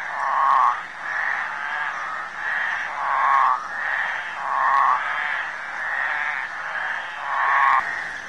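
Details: In a suburban creek in Lusaka, Zambia, flat-backed toads call during mating: short pulsed, quacking bursts repeat roughly every second over a continuous background chorus of other calling toads.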